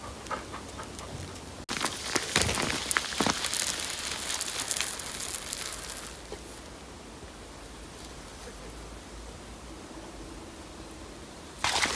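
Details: Outdoor rustling and splashing bursts over a steady background hiss, with no animal voices.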